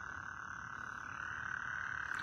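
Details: Frogs calling loudly outdoors at night in northwest Harris County, forming a dense, unbroken chorus: a steady high trilling drone that holds one pitch without pauses, with faint low background rumble.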